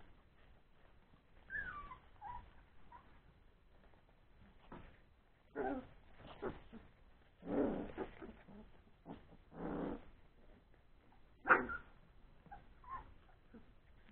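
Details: Old English Sheepdog puppies three weeks old at play after their meal, with a few thin descending whines among bursts of scuffling, rustling and knocks.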